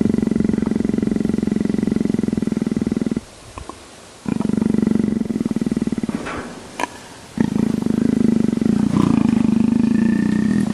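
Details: Leopard being scratched, giving a low, steady pulsing rumble in long stretches, broken by two short pauses, with a few faint clicks and rustles between bouts.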